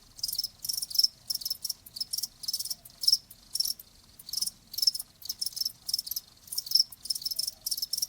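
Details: Cricket chirps in distinct shrill bursts, about two or three per second, evenly spaced and steady throughout; a faint low background murmur.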